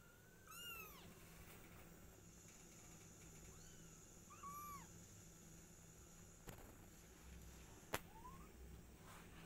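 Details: House cats in a home, a mother cat named Silky with her kittens and their father nearby: a few short arched meows, a high rising-falling one, then a pair of softer calls, with a sharp click late on.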